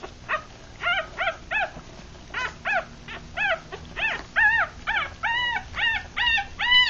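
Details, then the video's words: Three-day-old Rat Terrier and Chihuahua cross puppies, a litter of six with eyes still closed, feeding; high harmonic whimpering cries, short arched squeals repeated irregularly, growing louder and closer together toward the end. "3 Day Old Puppies"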